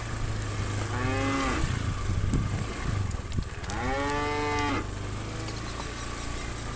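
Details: Cattle being herded from farm to field in the morning, thousands of cows on the move; two drawn-out, arching moos with rich harmonics, one early and one near the middle, over a steady low engine-like drone.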